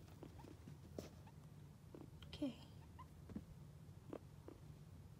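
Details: Guinea pigs exploring during floor time indoors: a short descending squeak near the middle, a few faint soft chirps and footstep patter, over a steady low hum.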